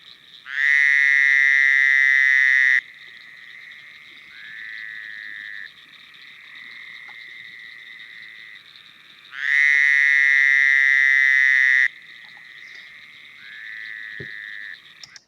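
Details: Fowler's toad, recorded in Kankakee County, Illinois, along the Kankakee River, gives a loud, nasal, bleating buzz lasting about two seconds, like an angry sheep.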